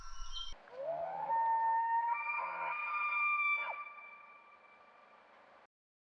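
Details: Male elk bugling during the autumn breeding season to attract females and warn rival males, often at dusk: a rising, whistled scream that climbs steeply, holds a long, wavering high note for about three seconds, then fades; the call can carry for kilometres.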